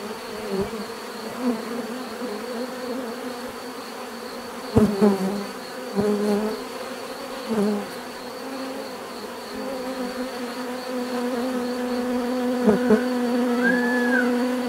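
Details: Close bees buzz loudly and unevenly, individual insects swelling and fading as they fly past, several sharp nearby passes standing out over the constant hum of many others.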